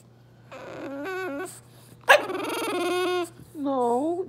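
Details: French Bulldog indoors, fussing and whining because he wants food his owner ate without sharing; a series of drawn-out, wavering high whines rising and falling, with a sharper burst midway, and a person talking around them.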